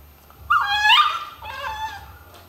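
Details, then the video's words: Pet dog "talking" to its owner: two drawn-out, whining yowls with rich harmonics. The first rises and falls, the second is slightly softer, with a short pause between them. "talking dogs"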